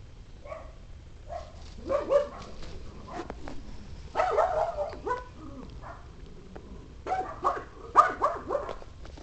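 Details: Pug named Maggie, a pet dog indoors, giving short sharp barks in uneven bursts of two to four, with quiet pauses between groups and a low background hum.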